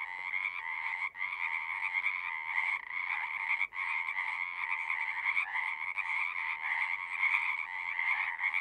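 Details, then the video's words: Dense frog chorus: numerous overlapping croaking calls form a steady, rasping drone, interrupted by two brief near-silent gaps. "One hour of singing frogs."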